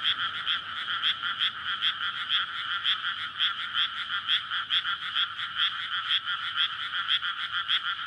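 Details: Frog chorus at night in May from a flooded rice paddy surrounded by housing, males calling in courtship before egg laying; dense overlapping rapid croaks pulsing steadily, recorded on a Sony PCM-D100.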